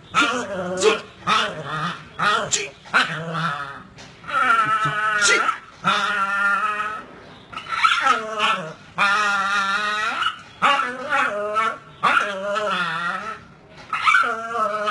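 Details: Young pit bulls tugging and biting tires in play make a steady run of quavering growls and whines, some short and choppy, others sustained for about a second, with scuffing noises between.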